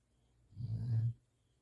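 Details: Standard Poodle asleep on a person's arm, giving a single deep, rumbling snore lasting about half a second in a quiet room.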